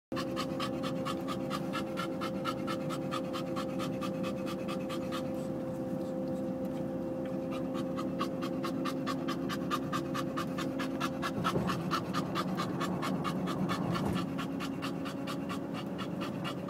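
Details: Bulldog panting hard and fast in quick breathy bursts, easing off briefly near the middle before resuming at the same rapid pace, over a steady low mechanical hum.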